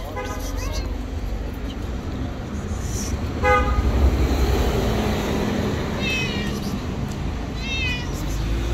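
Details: Stray cat living on the street gives four short, high meows spaced a couple of seconds apart, over steady traffic rumble and nearby voices.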